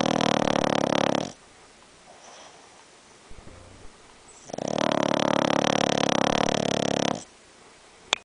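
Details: A pet Boston Terrier snoring very loudly indoors: long rough rasping snores of over a second each, separated by quiet pauses with soft breathing, two main snores in the stretch.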